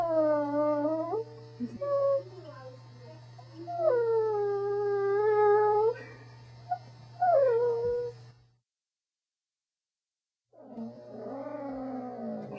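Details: A pet Corgi howls and whines in drawn-out, warbling phrases that rise and fall like speech, several in succession, then a brief silence and a final rising howl, with a steady low hum throughout.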